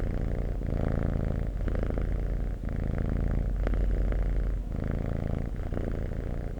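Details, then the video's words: Purring cat, deep vibrating rumble that swells and eases in slow breathing cycles about every one and a half seconds, with a brief soft click near the middle. "Cat Purring"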